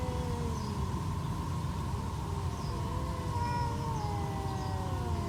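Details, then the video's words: During a fight between two stray cats, a long continuous yowl holds on steady, slightly wavering notes, with brief higher inflections partway through, over a low, noisy background. "Stray cats trash talking"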